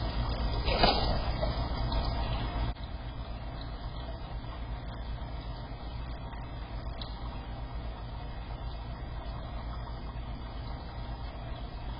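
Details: A constant low hum and trickle from a clogged pet water fountain indoors, with a brief knock early on and no animal voice.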